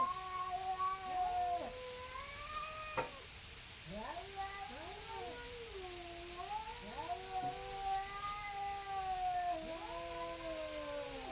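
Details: Two neighborhood cats facing off and stalling a fight, trading long wavering yowls that rise and sag in pitch, voices overlapping and answering each other every second or two, over a steady high electrical whine and low hum.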